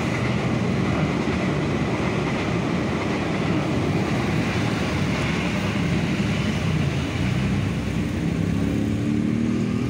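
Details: Loud, continuous engine drone like passing traffic or a motor fills the scene, with no animal voice.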